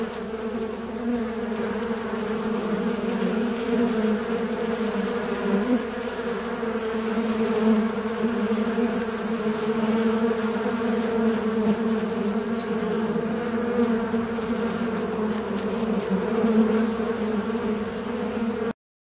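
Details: A fly's buzzing drone runs on evenly for nearly twenty seconds, a deep steady hum with layered overtones and small swells in volume, ending in sudden silence.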